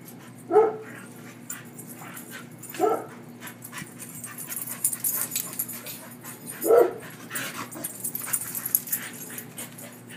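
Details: A German Shorthaired Pointer playing with another dog in a yard gives three short, deep barks a few seconds apart, with faint rustling behind.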